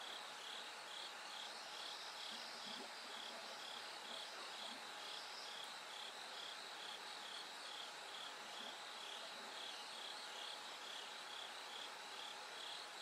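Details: A bell cricket keeps up its song in the hours before daybreak. Short, clear, bell-like high notes repeat evenly, roughly twice a second, set against a continuous buzzing insect chorus and a soft mechanical hum.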